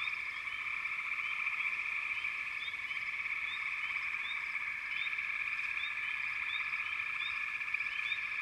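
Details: Continuous chorus of frogs: a thick, steady trilling hum with quick upward chirps repeating irregularly on top, evenly loud from start to finish.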